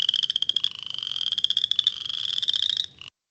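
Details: A cricket-like creaking trill from a Western Chorus Frog, earliest frog singer of the season, heard late March to early April. Fast pulses climb slightly in pitch for about three seconds, then stop abruptly.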